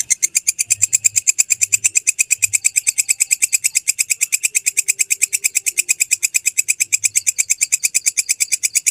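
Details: Genuine belalang kecek grasshopper call, recorded as training material for songbirds, with an unbroken, steady train of sharp high clicks, about six each second, sustained throughout with little else audible.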